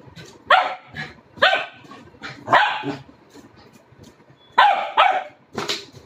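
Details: Four-month-old Labrador Retriever puppy Chino barking during play with a red balloon; bright, slightly yippy barks come singly and in doubled bursts about every second, with soft scuffling noises in the quiet gaps.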